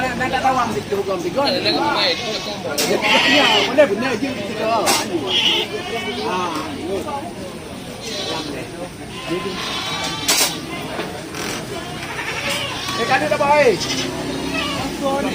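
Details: Goats at the busy Cot Iri goat market in Aceh Besar, Indonesia. Wavering, harmonic bleats from several animals rise through constant crowd chatter and shouting, with scattered sharp knocks and clicks.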